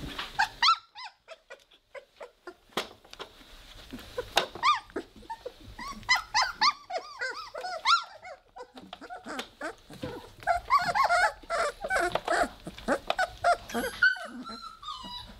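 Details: Weimaraner puppies at three weeks old, growling in play: high, squealing growls and whimpers in quick irregular bursts, arching up and down in pitch, broken by a short quiet spell early on.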